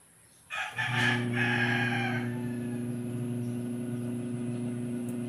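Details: During a 1 ml B-complex injection, a young goat gives a short run of pulsing, harsh bleats before a steady low mechanical drone takes over the rest of the recording.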